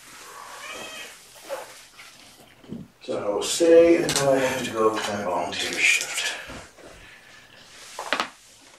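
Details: Domestic cat family, mother Gamora with her five kittens born April 14th, indoors during afternoon play time on 29 May 2018; high, harmonic meows rise and fall between a person's cooing talk, with light clatter in a small room.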